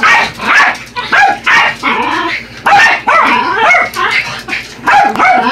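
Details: Two pet Yorkshire Terriers barking as they attack a remote-control truck: bursts of sharp, high, yappy barks and yips in quick irregular clusters, sometimes overlapping, with short pauses between volleys.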